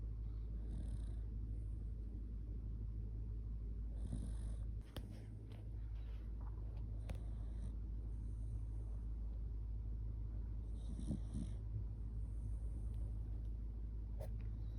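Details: Sleepy Shiba Inu named Kotetsu dozing while cuddled close, giving a heavy snore. A continuous low grumbling drone is broken by irregular breathy bursts and a brief clicking sound near the middle.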